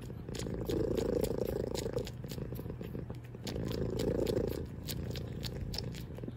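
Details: Domestic cat purring loudly, a steady low rumbling drone swelling in two long waves, each about two seconds, with faint soft clicks on top.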